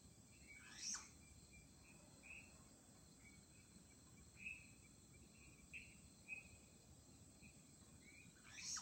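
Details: Flying squirrel calling at night-quiet Chunghsing New Village, Nantou, Taiwan, on 1 April 2018: two shrill, sharply descending cries, one near the start and one at the end, separated by soft short chirps, over a steady low background hum.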